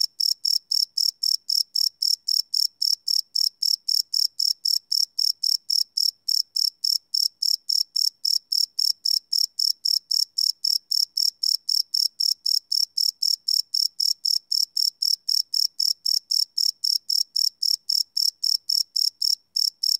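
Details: Cricket chirping at night, recorded live on a Sony PCM D100 field recorder: a steady, high, buzzy pulse repeated about four times a second, unbroken through the whole stretch, with no other sounds.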